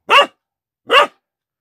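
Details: Central Asian Shepherd Dog (Alabai) puppy that has just found its voice, starting to bark: two short, sharp, fairly high yaps about 0.8 seconds apart, with silence between.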